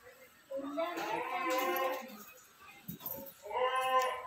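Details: Goats for sale at a Ratnagiri market ahead of Bakri Eid: a long, wavering, nasal bleat, then a pause and a second shorter quavering bleat, with people talking nearby.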